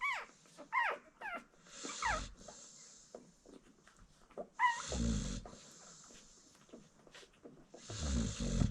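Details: Nursing American Bully mother snoring softly three times, the breaths coarse and low, while her newborn puppies squeak with short, falling cries and shuffle as they feed.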